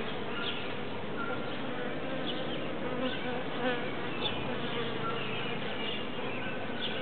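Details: Bees clustered in a big pile in a tree: a steady, dense, low buzzing hum from many insects throughout, with no pauses.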